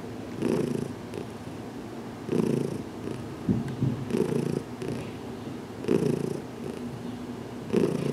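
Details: Heidi, a cat adopted with her companion Dinah, purrs during a cautious head massage in a small closet; rhythmic low rumble with stronger bursts every couple of seconds, plus a faint rustle midway.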